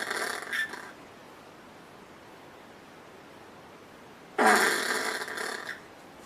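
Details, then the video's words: Common brushtail possum giving its chuckle: two harsh, raspy, broadband bursts, the first brief and the second longer and louder, separated by about three seconds of quiet. "Brushtail possum. These marsupials may be cute, but their chuckle is sinister."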